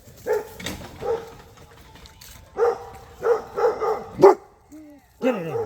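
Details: Boerboel puppy squaring off with a pit bull, barking in short harsh bursts, about six barks in under six seconds, with a brief thin whine between them and a man's voice urging the dog on.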